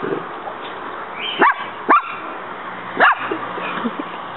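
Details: Muñeca, a household dog, confronting a praying mantis she found in the yard. Three quick, clipped barks, two close together and a third after a pause, over low background hiss.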